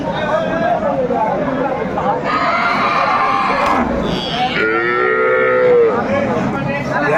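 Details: At the Aftabganj market in Dinajpur, 21/4/24, improved-breed dairy cows sold with calves. A rough, loud moo comes midway, then a clearer falling bellow near the end, over busy human chatter.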